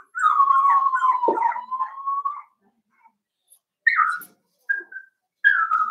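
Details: Daisy's Cavalier King Charles Spaniel pups, aged four weeks, in a pen: a sustained wavering whimper lasting about two seconds, followed after a gap by three short rising-and-falling whines.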